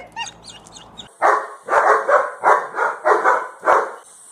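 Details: Dog barking: six loud, harsh barks in quick succession after a second of faint high chirps, each bark short and punchy, spaced about half a second apart.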